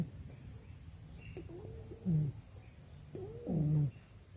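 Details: A male English Bulldog puppy asleep in a backyard after lunch in Nairobi, Kenya, gives two short, throaty, harmonic snorting breaths about one and a half seconds apart over a low background rumble.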